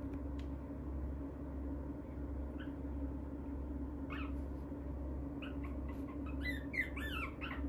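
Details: A small Shih Tzu × Maltese mix dog gives short, high, squeaky whines over a steady indoor hum.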